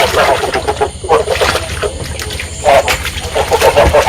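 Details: Field frogs calling, a sound meant to stimulate breeding and used to lure frogs into traps; rough, broadband croaks come in several bursts, dense and overlapping like a chorus, with steady background noise throughout.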